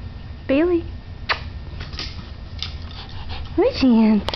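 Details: Two dogs named Bailey and Chance playing indoors; two rising-then-falling whining yelps about three seconds apart, with a woman speaking and shuffling noises between them.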